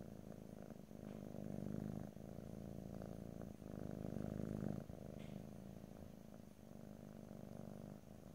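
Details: Rumbling cat purr recorded in stereo with no talking, rising and falling in long breaths, with small pauses between each swell of the low vibrating sound.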